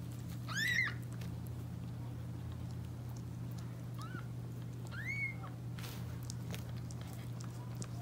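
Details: Calico cat Candle indoors giving birth to five healthy kittens, her second litter; three short, high, arched mews rise and fall near the start, middle and fifth second over a steady low electrical hum.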